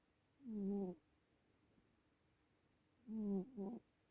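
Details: Old domestic cat snoring: two short, low, buzzy droning breaths with stacked overtones, roughly two and a half seconds apart, the second ending in a quick double pulse, in a quiet indoor setting.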